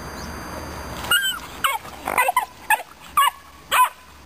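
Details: Aggressive Romanian Mioritic Shepherd Dog puppy barking: a rapid run of about seven high, snappy yaps roughly two per second, each short and bright, against a quiet humming background.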